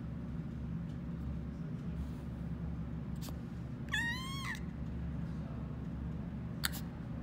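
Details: A baby goat gives one short, high, wavering bleat lasting about half a second, bending up then down, over a steady low background hum.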